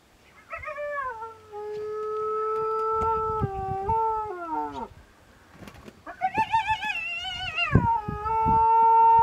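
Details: Terrified sub-adult spotted hyena trapped for hours inside a dead elephant's carcass, harassed by lions, Mara Triangle, Maasai Mara, 10 March 2022: two drawn-out tonal wails, the first held level then sliding down, the second rising and wavering, over low thumps.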